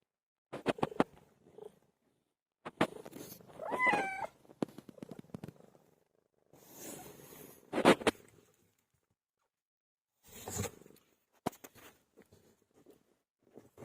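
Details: Domestic cat giving birth: one short, wavering, rising-and-falling meow near the middle, among scattered clicks, rustling and soft low purr-like bursts separated by quiet gaps.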